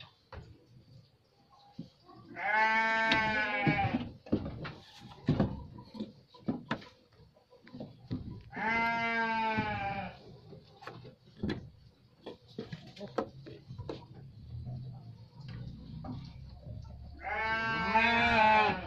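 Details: Garut sheep producing three drawn-out, tremulous bleats at about three, nine and eighteen seconds, separated by quiet stretches of scattered taps and shuffling.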